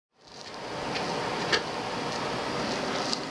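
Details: Soft indoor hiss with a few faint clicks, and no bark, whine or other animal call.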